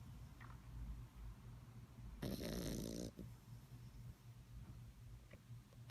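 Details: Sleeping puppy snoring: a steady low rumbling breath sound throughout, with one louder, broad, rasping snore lasting about a second in the middle.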